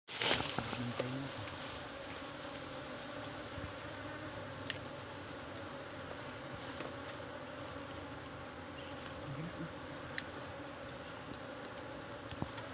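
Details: Honey bees buzzing around a person who deliberately lets them sting him without wearing a jacket, during an eating session; a dense, steady droning hum throughout, with occasional sharp clicks and knocks.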